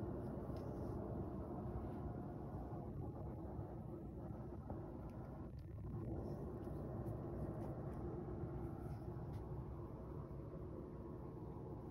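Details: Steady low rumble like vehicle or outdoor background noise fills the recording, with no animal voice heard.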